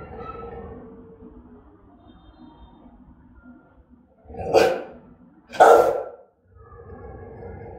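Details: Rottweiler giving angry, threatening barks: low murmuring dog noises at first, then two loud, sharp barks about a second apart, followed by softer rumbling sounds.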